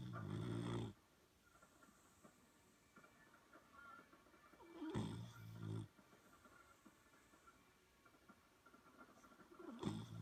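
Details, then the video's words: Sleeping Boxer puppy worn out from a long day of play, giving deep rasping snores roughly every five seconds, each lasting under a second, with soft breathing noise in the gaps. "Boxer Puppy Snoring"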